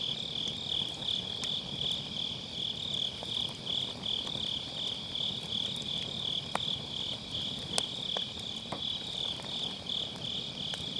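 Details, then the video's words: Grass insects on an autumn night beside a round fire pit campfire, recorded with a Sennheiser MKE600 using low cut: steady high pulsing trill chorus, with sharp crackles and pops of burning firewood. "가을밤 풀벌레 소리"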